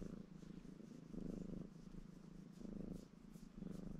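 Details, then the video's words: Baron, a ginger male Maine Coon cat, purring contentedly while washing himself indoors; a low, steady rumbling purr swelling in rhythmic surges about every second and a half as he breathes in and out. "Рыжий кот мурчит и умывается"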